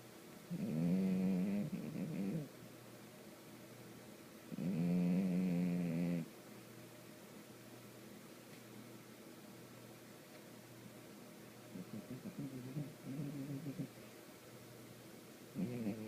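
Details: Domestic cat snoring loudly indoors, low droning buzzy snores about one and a half seconds long, coming in slow irregular breaths with quiet gaps between them and softer rumbling snores toward the end.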